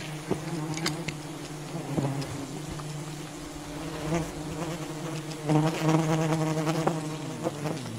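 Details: Droning hum of wild honey bees at a raided colony, a steady buzz that rises in loudness near the end, with sharp snaps and knocks throughout.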